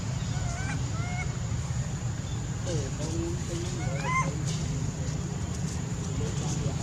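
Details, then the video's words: Baby male monkey named Sweet Pea crying loudly, angry at his mother: several bursts of high, wavering, harmonic wails rising and falling, clustered near the start and middle, over a constant low rumbling background hum. "Baby monkey Sweet pea crying loudly cos he angry his mom"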